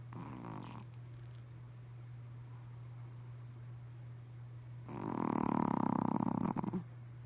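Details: Pomeranian dog snoring during a midday nap at home: two rasping, rapidly pulsed snore bursts, a short one at the start and a longer one near the end, separated by quiet breathing, over a steady low electrical hum.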